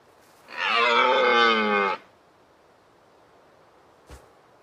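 A single hoarse, nasal bleat from a deer holds steady, then eases slightly at the end. A faint click follows a couple of seconds later.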